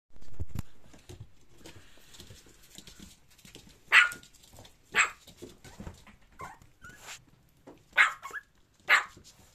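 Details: Male Maltese dog giving short, sharp barks, spaced a second or two apart and clustered in the second half, with quieter shuffling and thumps between them.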